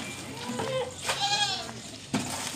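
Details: Teddy goat on a goat farm giving a wavering, nasal bleat that rises and falls, with a second shorter bleat and a brief sharp knock nearby.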